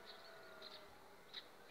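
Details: Honey bees from an overwintered colony on five frames, two weeks before the acacia bloom: a steady, even hum with faint tonal bands, broken by a few short high chirps from other animals.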